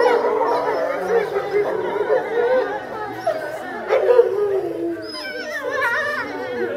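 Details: Grey wolf pack at Tama Zoological Park, November 2013, howling together: overlapping wavering howls fluctuate in loudness, with higher thin sliding voices joining near the end, set against faint background voices.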